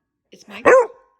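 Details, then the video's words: Barkaholic pet dog talking back over its owner: a single short, sharp bark with a rising-then-falling tonal edge, preceded by faint soft vocal sounds, in a quiet indoor room. "dog talks over me, when I talk"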